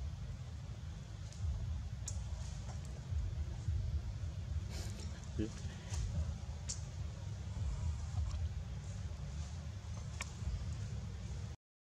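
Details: Steady low rumble of traffic with scattered clicks and a faint voice; no animal call stands out.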